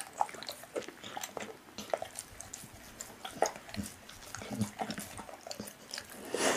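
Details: Pit bull eating raw meat indoors in a small room, with soft wet crunching and smacking bites at irregular intervals, quiet overall.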